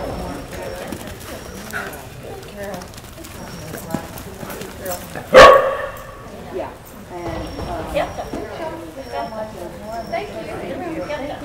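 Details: Female Australian Kelpie, almost two years old, being tested on herding goats during a trip to the United States; a single sharp, loud bark rings out midway, surrounded by steady background chatter of people talking.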